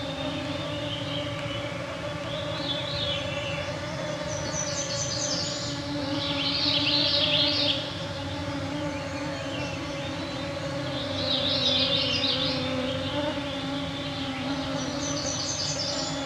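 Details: A dense cloud of mosquitos hums continuously at 9pm in northwestern Ontario's Canadian Shield, June 2024, captured with Pluggy EM272Z1 microphones and a MixPre-3 II. The even, layered drone persists throughout while bursts of descending, swirling bird songs rise and fade.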